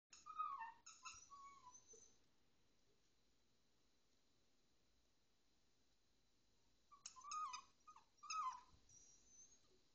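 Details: Puppy whining after tormenting a squeaky toy duck, voicing distress over it: short, high, tonal whines with quick falling and wavering slides come in two bursts separated by several seconds of quiet room.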